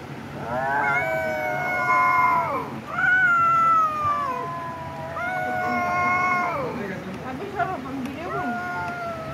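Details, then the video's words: Drawn-out cat yowls with rich harmonics, each held for one to two seconds and then bending downward, followed by shorter broken cries, faint low hum beneath. "cat video"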